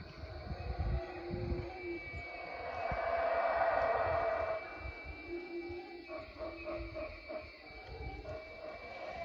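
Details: Howler monkeys roaring in a low, rough, swelling chorus that builds to a peak midway and fades, over steady insect drone and a thin high whine, with brief lower hoots near the start and end.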